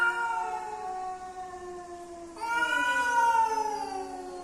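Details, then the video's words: Male and female domestic cats coming together, giving a long drawn-out wailing yowl with rich harmonics, steady at first, then jumping louder and higher midway before sliding slowly downward. "The strange sounds of male and female cats when they come together."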